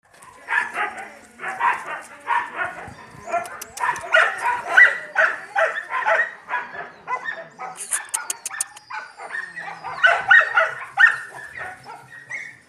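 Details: Yakutian Laika dogs, grubby puppies with their mother Rumba: a dense run of short, high, overlapping yips and barks, several voices at once, pulsing about twice a second, with a few sharp clicks and knocks mixed in.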